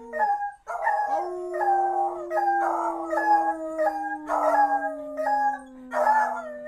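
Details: Two beagles howl together, easily set off: one gives a long sliding howl under repeated baying bursts from the other.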